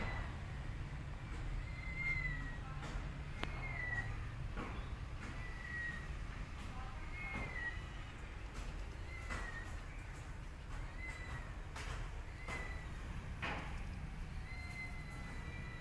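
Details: Tiny kitten left alone and scared after its mother leaves, giving thin, high meows, many sliding slightly downward, repeated about every one to two seconds over a steady low rumbling background noise.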